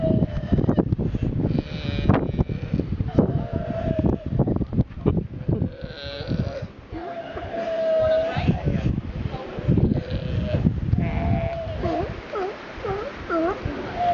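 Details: Sea lion on Santa Fe, Galapagos, answering a man who talks to it. It gives bleat-like, wavering calls: a long drawn cry mid-way and a run of quick rising-falling notes near the end. Human speech is heard throughout.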